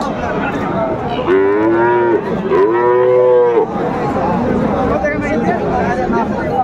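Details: Bull calves of Friesian and crossbred cattle at Raniganj cattle market, Dinajpur, 23 December 2024: two loud, drawn-out moos, each about a second long, gently rising then falling, over a steady murmur of crowd and voices.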